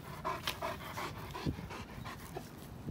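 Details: Two German Shepherds, Henry aged two and George almost three, both over 90 pounds, take a break on a Saturday morning walk. Fast, even panting puffs continue throughout, with a few brief clicks and soft outdoor noise.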